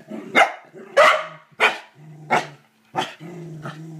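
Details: Corgi Kevin Bacon barking at the toilet bowl brush: five or six punchy barks roughly every half second, with a deep growl humming underneath and between them.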